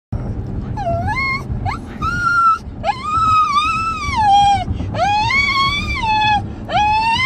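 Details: A Shih Tzu in a car's backseat gives drawn-out, wavering whines and howls, rising then sliding down in long pleading phrases, unhappy while people in the front seat eat his favourite vanilla ice cream.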